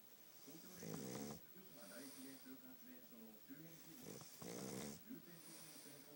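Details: Sleeping pug Futa, whose noseless face makes him snore heavily, gives two loud grating snores about three and a half seconds apart, with softer wheezy breathing between them.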